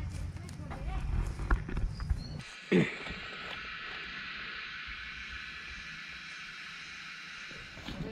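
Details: Cicadas singing in Nepal's Himalayan hills, where wild mushrooms are foraged: after a few seconds of voices and a thump, a steady, high, hissing drone sets in and runs unbroken to the end.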